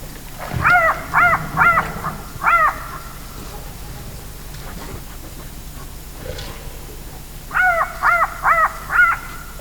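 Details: Bat-eared fox calling at night, giving short, nasal, hooting calls in quick runs of three or four, then a pause before another run; faint background hum.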